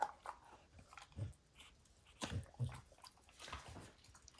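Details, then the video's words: Max, a pet dog, gnawing on and destroying the leather hide of a baseball indoors: scattered soft crunches and bites with low thuds, irregular and spaced out, in a quiet small room. "DOG CHEWING"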